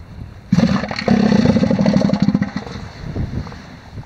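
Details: On Sea Lion Island in the Falkland Islands, a fighting male elephant seal, one of the bulls David and Mario, gives a loud, low, rapidly pulsing roar lasting about two seconds. It trails off into a softer rasping, then quiet.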